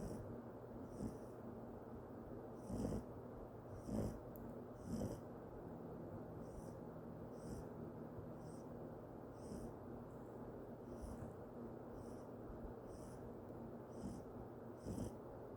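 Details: Snoring from Sawol-i the Yorkshire Terrier: a slow, even run of soft wheezy breaths near one per second, a few louder snorts early on, then quieter whistling breaths.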